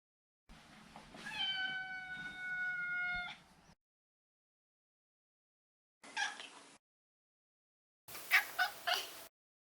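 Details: Maro, a neutered male Maine Coon cat, produces one long, even, tonal meow lasting about three seconds. Two short, clipped mews follow after pauses, the last one breaking into a couple of quick bursts.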